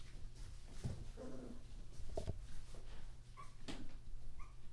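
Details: Litter of thirteen German Shorthaired Pointer puppies born on New Year's Day 2014, heard indoors: faint, thin whimpering squeaks, a few short high tonal notes near the end, over a steady low room hum and soft shuffling.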